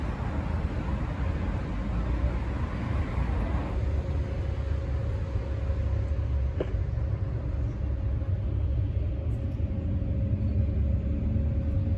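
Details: Heavy, constant low rumble of passing vehicles outdoors, with a faint steady hum and one brief tap.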